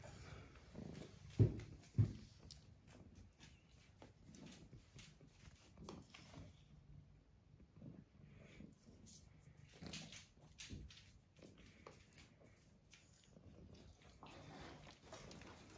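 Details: Thyme, a cat on a regenerative farm in County Kilkenny, Ireland, purrs beside an Aga stove indoors on a quiet day as rain falls outside; a soft, low, steady rumble with a brief pause midway, in a small quiet room.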